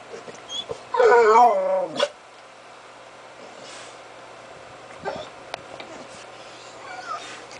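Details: Pet dog getting vocal indoors, giving one brief wavering whine-howl of about a second, then quiet room noise with a few faint clicks.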